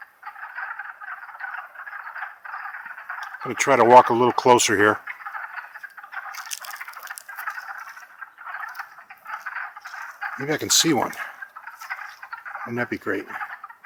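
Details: Wood frog chorus recorded in spring, April 2014, at Longkill Woods: a constant rolling din of short, chuckling croaks from many frogs, with three short spells of human talk over it.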